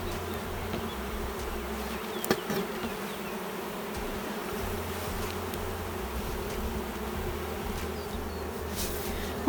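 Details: Honey bees in a hive with honey but few bees and no brood, feared queenless and turning drone-laying, during an inspection: a steady low droning hum with an occasional faint tick.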